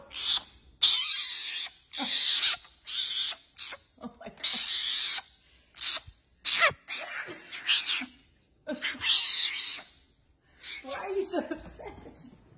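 A fennec fox gives a rapid series of harsh, hissing, high-pitched squeals and chatters in short bursts.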